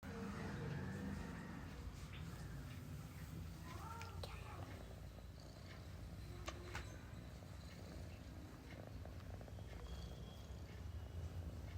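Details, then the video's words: Persian cat sleeping comfortably and snoring: a steady, low rumbling drone pulses throughout, with brief soft voices and a few light clicks and rustles in the room. "So comfy Cat 🐱 snoring"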